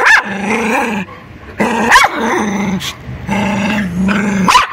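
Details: Fierce white dog called Teddy Bear, tied up by a public road, alternates long low rumbling growls with short sharp barks, roughly one bark every two seconds, warning off an approaching person.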